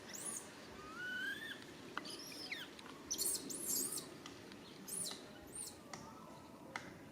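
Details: Baby monkey RAIN calls to its mother RANY for help: tonal, wavering cries that rise and fall, with shrill high squeals between them and a low rustling background.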